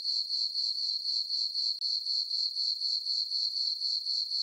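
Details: Crickets in a summer meadow on a farm, full moon overhead, chirping in a bright, steady pulsed trill of about four beats a second, broken by one short gap partway through.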